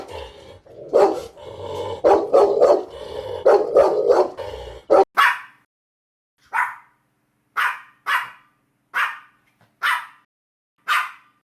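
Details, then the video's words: Dogs of various breeds in a compilation: a dense burst of rapid, overlapping mid-pitched barks for five seconds, then sharp, higher single barks spaced about one second apart against silence. "51 Cachorros Latindo - Som de Latido de Cachorros Variados"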